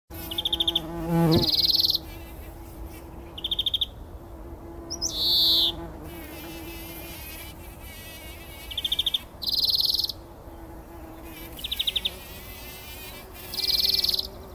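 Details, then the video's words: Bumblebees rolling in poppy flowers early in the morning before sunrise, 2019, taking a pollen bath; low, steady droning hum for the first seven seconds, overlaid by loud, repeated high trilling bird calls in short bursts. "Hummeln wälzen sich in der Mohnblüte – summend wird das Pollenbad angenommen"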